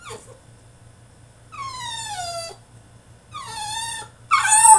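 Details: French Bulldog throwing a tantrum inside his cage: two long, clear, descending whines, then a sudden louder, rough yelp at the end.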